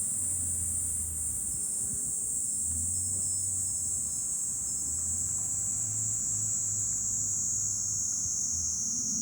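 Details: Cicadas singing in July from a hilltop overlooking Fukuoka city, Japan: a dense, unbroken high-pitched shrill drone holding steady throughout, with low rumbling wind or distant traffic underneath.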